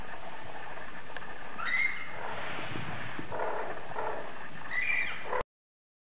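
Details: A female Bengal cat gives two short, rising meows, with soft rustling and room noise throughout.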